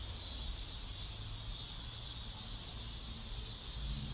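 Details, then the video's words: Cicadas in a South Korean neighborhood, a steady high, hissing buzz that holds without a break, over a low, constant background rumble. "South Korean Neighborhood Sounds Cicadas"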